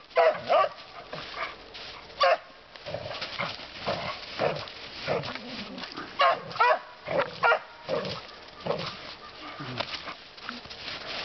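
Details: Pet dog out in the woods with a second dog, a dog said to enjoy barking a lot, giving short harmonic barks in scattered bursts, some paired in quick succession, over a steady background hiss with faint voices.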